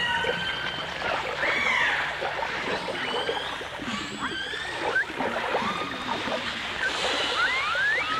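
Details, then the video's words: Dolphin song from a 1989 full dimensional stereo recording of dolphins and orcas: scattered thin whistles, a few quick upsweeps and faint descending tones rise above heavy watery hiss and clicking, ending in two bright rising whistles. "The Enchanting Sounds Of Dolphin Song"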